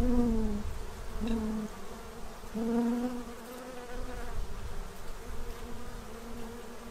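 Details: Bees feeding at a tray to prepare for winter in Central Illinois; loud droning buzzes that rise and fall as individuals fly close, with clear harmonic bands and short swells about every second.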